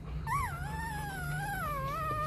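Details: Rottweiler puppy, one of a four-day-old litter of champion Loki Gervi and Faye, gives a single long high whine that jumps up, then wavers and slowly sinks, with a steady low hum underneath.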